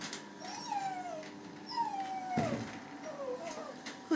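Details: Maltese cross named Zac whining through his first hydrobath, not happy about it; thin descending whines repeated about every second, over a constant mechanical drone with a brief splash.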